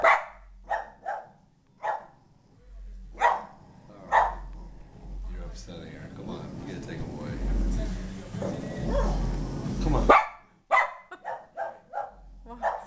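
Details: Moxie the Boston Terrier, upset by a ball-jointed doll in the living room, gives rapid hoarse barks at the start and end, broken by several seconds of broad rustling noise in the middle.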